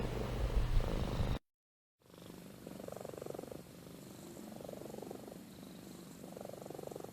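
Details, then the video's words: Amy, a domestic cat, sleeping and snoring: a loud low rumble first, a break of near silence, then a soft steady purr with slow swells of breathy snoring. "Compilation of Amy Purring & Snoring"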